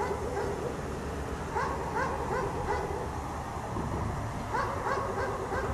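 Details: Chained dog left outside all day in the snow gives short, hoarse barks in quick groups of three or four, a quiet gap between groups, against a persistent low rumbling background.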